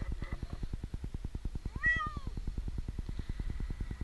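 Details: A single clear, arching meow rises and falls from Jinx, an 8-month-old kitten stranded for two nights in a tree in Newark, Ohio, while a rescuer tries to reach him; steady fast mechanical pulsing fills the background.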